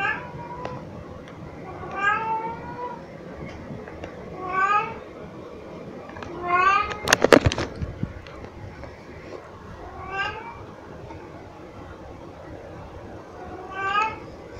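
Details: Pixie, a very vocal pet cat filmed indoors in 2022, meows while carrying cat toys around; drawn-out, rising-then-falling meows repeat every two to three seconds, with a brief rattling clatter midway.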